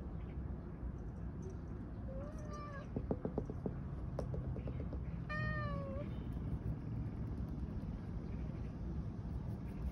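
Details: Siberian cat caught in a tire and working out how to get free meows twice, each call rising then falling, with a burst of scratching or tapping between them and steady low hum throughout.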